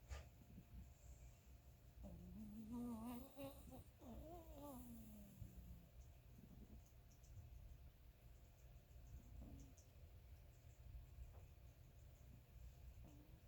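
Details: Sleeping Chihuahua snoring indoors: between two and six seconds, a voiced, wavering, whistly snore with stacked tones rises and dips, then trails off into quiet breathing over a low steady room hum.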